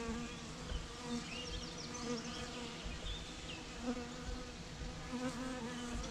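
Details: Bee swarm producing a steady, low droning hum with a layered, even tone throughout, while small birds chirp and twitter faintly in the background.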